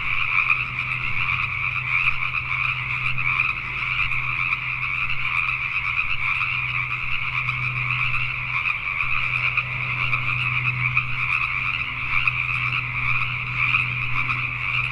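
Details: Pacific tree frogs heard at night in Richmond, British Columbia, Canada: a thick mass of overlapping croaks runs without pause over a low, steady hum in the background.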